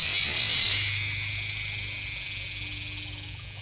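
A cicada sings a steady, high, shrill buzz that slowly fades.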